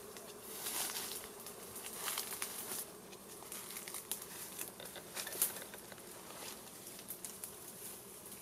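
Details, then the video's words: Buzzing honey bees leaving a wild beehive as fire smoke is used to clear them before the honey is taken; a continuous mid-pitched hum under repeated sharp crackles and rustles. "Harvesting Honey Bee"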